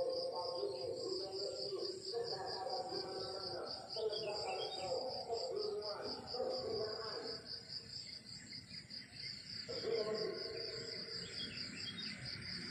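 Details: Countryside crickets at morning, their chirping a dense, evenly beating high-pitched trill that never pauses, layered over a softer, lower buzzing chorus that shifts in strength.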